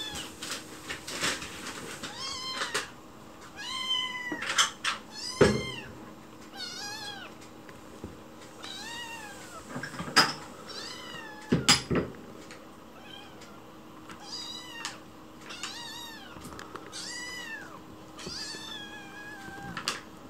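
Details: Hoping for a meal whenever someone is in the kitchen, the white rescue kitten Chichi meows sweetly. Roughly a dozen arched, high meows come in irregular series, punctuated by occasional bangs and thumps.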